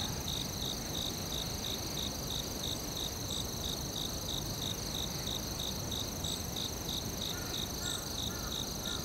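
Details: Crickets chirping in a forest: steady high pulsed chirps repeating rapidly and evenly, over a constant high-pitched insect whine and a soft low rumble of background noise; a few faint higher calls near the end.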